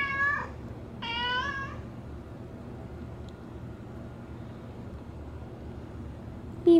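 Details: Bean, a female pet cat, meowing at the door in heavy rain; two clear meows in the first two seconds, the second longer and flat, then near silence before a brief loud voice at the end.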